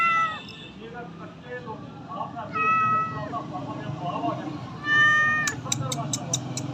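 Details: Repeated meows from a house cat, four distinct, tonal cries spaced a second or two apart, followed by a quick series of sharp clicks, with faint voices and hum behind.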